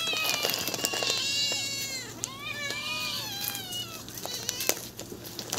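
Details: Pack of hungry stray cats meowing together; many overlapping, drawn-out wavering meows, some rising and falling, follow one another almost continuously, with a few sharp knocks and a low steady hum underneath.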